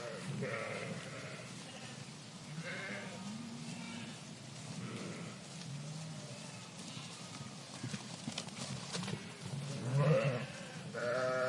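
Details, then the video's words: Sheep flock in a park giving repeated bleats about every two seconds, mixing higher nasal harmonic bleats with lower grunting ones, a louder burst near the end, and steady low rumble throughout. "Flock of Sheep in Park Sound Effect"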